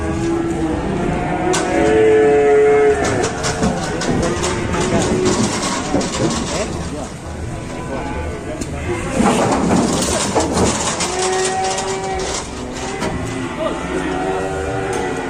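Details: Raging cattle being unloaded from a truck: long, low, harmonic moos, drawn out near the start and again later, amid shouting people, handling noise and a busy, clattering background.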